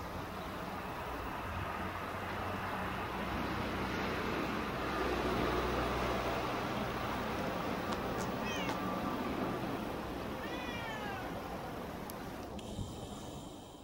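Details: Talkative female stray cat that always stays in a park car park, chattering as usual; a few short upward-sliding meows rise out of heavy steady outdoor rumble and hiss.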